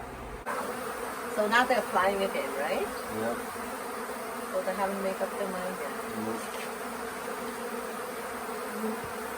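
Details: A late-season honey bee swarm at the Tamarind Tree Hotel, reluctant to stay in a nuc box: an even, low humming drone runs throughout, with people talking over it early on before the buzz carries on alone.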